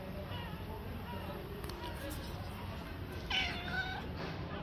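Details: Handsome male tabby cat living on the street as a stray, giving a couple of short meows with faint harmonics, partly masked by steady low background rumble and traffic-like noise.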